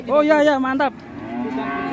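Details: Agitated large cattle unloaded from a truck in Indonesia. One short, loud, harmonic-rich moo with a slight waver stops abruptly, then a quieter, steady lowing tone trails on.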